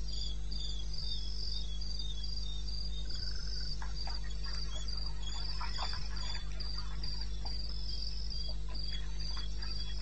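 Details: Night chorus of crickets in eastern Botswana wilderness, taped at 2:30 AM on 21 May. Shrill chirps repeat evenly, roughly four a second, above a deep steady drone, with scattered soft ticks in the middle.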